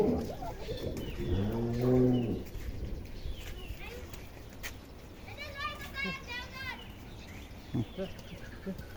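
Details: Dairy cow at a farm, one of two good milking cows being sold off because their milk could not be sold; one low, drawn-out moo early on, then people talking and calling out around the animals.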